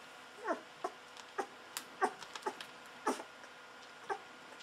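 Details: Two-week-old Golden Retriever puppies, hungry, drinking milk from a bottle: short high whimpering squeaks, each sliding downward, coming irregularly about once a second, with faint clicking and handling noise between them.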